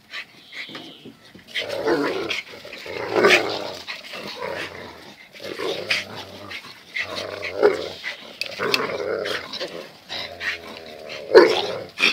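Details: Dogs Zion and Tyson in their fierce daily fight: repeated low growling snarls and huffs, with a brief sharper yelp-like sound near the end.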